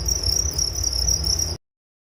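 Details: Continuous shrill cricket chirping, a high even pulsing buzz with a low background hum, cut off abruptly after about a second and a half, followed by silence.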